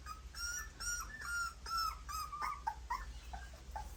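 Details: Puppies suckling their mother's milk: a quick series of high, thin whimpering squeaks, some with a slight falling slur, repeated roughly twice a second and fading into softer short peeps near the end.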